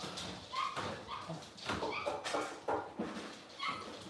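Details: Cavalier King Charles Spaniel puppies, six weeks old, fussing during deworming and nail trimming in their pen; a run of thin, high whimpers and short whines rises and falls repeatedly against handling noise.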